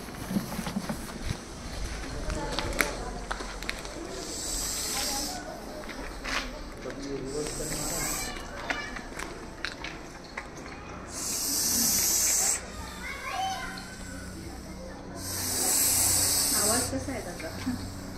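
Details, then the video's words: Angered Russell's viper during a rescue on Pune Nagar road, Maharashtra, making loud breathy hisses: long bursts about eleven and fifteen seconds in, with Marathi speech and outdoor noise throughout. "बापरे घोणस या सापाचा 🐍 चिडल्यावर खतरनाक आवाज पाहा"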